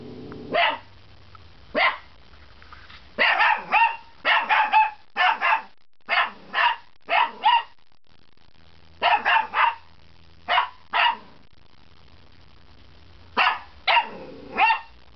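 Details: Waffles, a pet puppy, giving some of its first barks: short, sharp, high yappy barks in bursts of two to four, with pauses between groups, against a quiet indoor background.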